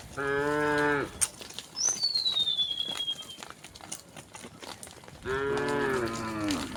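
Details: A huge herd of tame cows and oxen ambling along a road toward their resting place under open sky. A full, harmonic moo is followed by a quiet gap with a high gliding whistle, then a second long moo.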